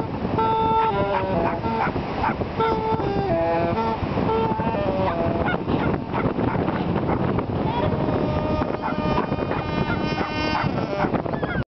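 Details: Dogs howling together on a beach at Taipa in the far north of New Zealand on a winter's day: long, sustained, tonal howls stepping between pitches and overlapping throughout, over steady loud background noise.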